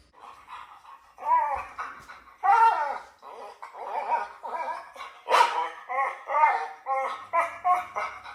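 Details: French Bulldog, one of two dogs reacting to strange sounds played to them, howls in a string of short wavering, arching whines and yodels, rising and falling in pitch. The notes come in irregular bursts with brief gaps.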